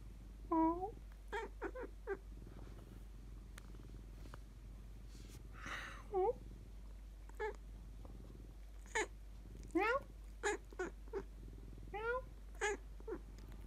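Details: Pet house cat answering when spoken to in cat language in a small room: a series of short, clipped meows and chirps between human voice sounds, with a faint low purr underneath.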